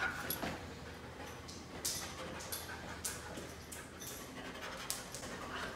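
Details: Panting from a one-year-old male dog of the poodle family, weighing nearly 60 pounds, visiting in South Carolina: quick breathy bursts of airy noise repeat irregularly, with faint handling rustles indoors.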